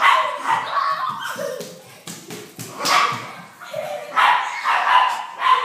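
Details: Poodle during a playful chase, giving bursts of high yipping barks amid noisy scuffling and rustling, with brief human voices mixed in.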